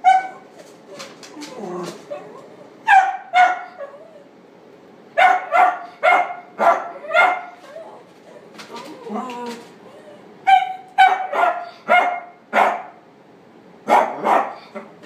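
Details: Male black-and-tan and white Chihuahua, born 16 September 2016, kept at a pet shop, lets out bursts of shrill yaps, some in quick runs of three or four, mixed with softer whining notes and a human voice nearby.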